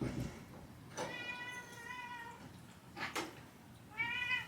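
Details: Male domestic cat indoors at home in an old house, around a newly installed cat door on a room door. Two drawn-out harmonic meows, the first long and steady, the second short and rising, separated by a couple of sharp knocks or clicks.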